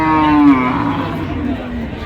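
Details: Moo from cattle at the Ambari weekly cattle market in Dinajpur, Bangladesh, where cows and calves are sold, 16 January 2026. A low moo slides downward and fades into the chatter and bustle of the market crowd.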